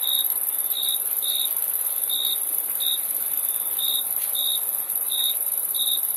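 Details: Cricket chirps at a steady pitch, about nine short pulses in six seconds at slightly uneven spacing, over a constant high-pitched background trill.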